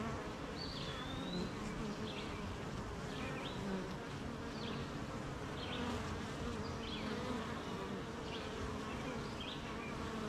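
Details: A honey bee hive buzzing constantly on a wet, rainy morning as the colony makes honey; an unbroken low drone carries beneath a thin whistled bird note and repeated brief chirps.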